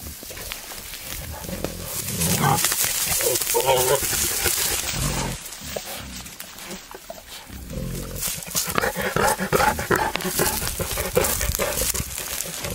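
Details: Wild boar, a male courting a female sow in the wild: rough harmonic grunts and squeals come in bursts early on and again near the end, set over broadband rustling and background noise.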